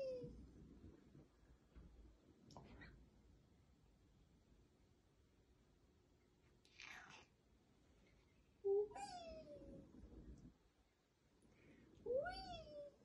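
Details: Domestic cat in Germany that does not want its owner to stop spinning it on a chair; after a soft early call and some rustling, two clear rising-falling meows come about three seconds apart near the end.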